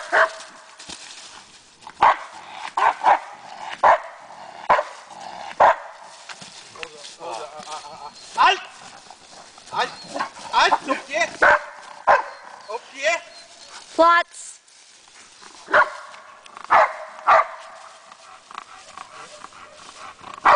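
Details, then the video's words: Rommel, a dog, practising bark and hold training outdoors, gives loud sharp barks in irregular bursts, often doubled, spaced roughly one to two seconds apart, while a man gives spoken commands between them. "Working on Rommel's bark and hold"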